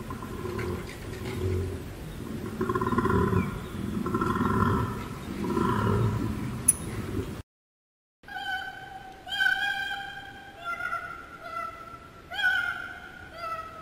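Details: Koala giving a deep, rasping bellow in rough pulsing bursts about every second for seven seconds, then a pause before a run of clear, tonal, harmonic calls from a different-sounding source.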